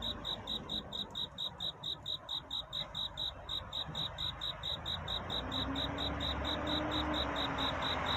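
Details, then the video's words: Cricket chirping to find love on a night of courtship near dawn, evenly spaced high chirps about two per second, while a soft low steady tone and rising hiss enter partway through. "귀뚜라미 울음소리. 슬퍼 말아요 우는 것이 아니라 사랑을 찾는 노래랍니다"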